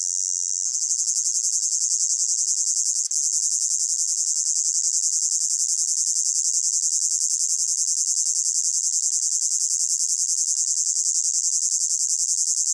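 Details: Crickets calling in a hot summer meadow, a continuous bright, high trill of evenly repeated pulses that changes tone just after the start, with a single brief click near three seconds.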